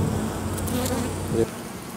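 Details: Wild honey bee colony in an oak tree, Tampa, Florida, with drones present as it readies to swarm; loud steady buzzing drone that briefly swells near the end before a quieter fade, with a faint clicking sound.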